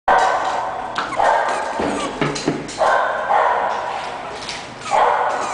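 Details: English Bulldog puppy giving short, mid-pitched yapping barks in bursts, about five over five seconds, each with a bright tonal core and a slight rise, plus faint clatter and background hiss between them.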